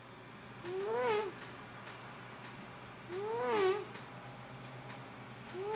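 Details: Domestic cat snoring while asleep indoors, keeping its owner awake; two arched, voiced, wheezy tones rise and fall, one about every two and a half seconds, over a quiet room hum.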